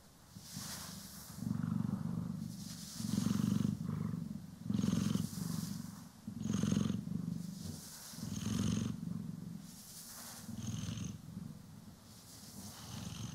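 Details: Domestic cat, one of the pair Poki and Kiwi, purring while being groomed and brushed, recorded in stereo; a deep, pulsing low rumble swelling and fading with each breath, with soft hissing brush strokes over the top.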